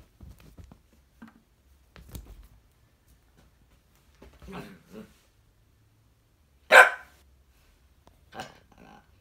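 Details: An Italian Greyhound playing with a bigger dog gives a sharp bark among soft grumbles and huffs.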